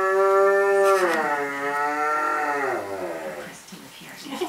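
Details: Pet dog making strange sounds while playing with its toys: a long, tonal, voice-like moan that rises and then slides down, lasting about three seconds before fading.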